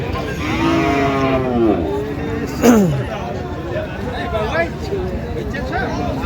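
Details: Friesian and crossbred bull calves at the Ambari cattle market in Dinajpur on 29 December 2025: a drawn-out harmonic bawl, then a loud short call sliding steeply down in pitch, over steady crowd chatter and haggling voices.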